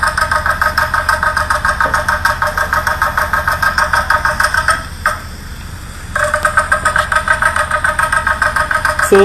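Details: A captive Puerto Rican crested toad (Peltophryne lemur) at a zoo, recorded mating call: a rapid, throbbing, engine-like trill that pauses briefly; the species calls to mates from the edges of small temporary pools.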